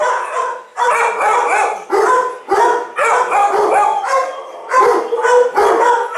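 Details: A frightened two-year-old German Shepherd held in a shelter kennel lets out about seven loud, harmonic, howl-like barks, each burst drawn out and separated by brief gaps.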